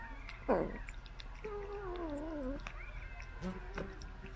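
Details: Cats being fed from a remote-controlled car, with a sharp click near the start followed by several wavering, descending meows that overlap one another over a low background hum.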